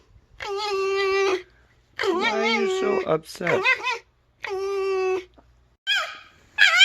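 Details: Indoor pet red fox, complaining when annoyed, letting out loud, drawn-out, even-pitched screaming wails about a second long. Twisting, warbling cries come between them, with short pauses in between.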